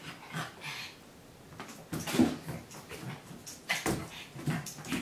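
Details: Two dogs, a Pug and a Great Dane, playing indoors in a home office: soft whining whimpers and short grunts broken by scuffles and thumps, louder bursts midway and near the end.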